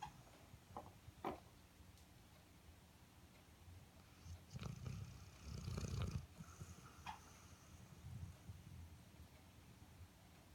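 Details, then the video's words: Airedale Terrier asleep and snoring, giving a long gravelly low snore that swells in the middle before fading into softer rumbling breaths, with a few faint clicks earlier on. "Snoring Airedale"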